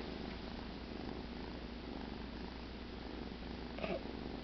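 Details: Cheddar, a pet cat, sleeping after the "kill", purrs in a steady low rumble, with a short brighter noise near the end; quiet indoor room.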